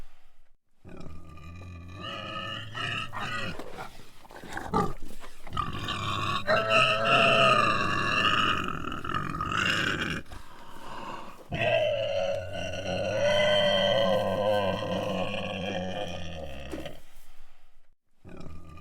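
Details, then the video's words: A hog squealing in long, harsh, strained squeals lasting several seconds each, with short breaks and rough grunting edges between bursts. "HOG SQUEALING SOUND EFFECT"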